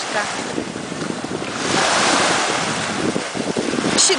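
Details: Wind buffets the microphone over the roar of surf at a beach, swelling in the middle and easing again.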